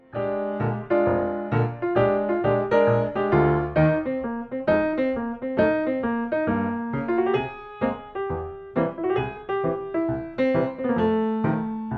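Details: Only solo piano music plays, a flowing melody of struck notes with no animal sounds.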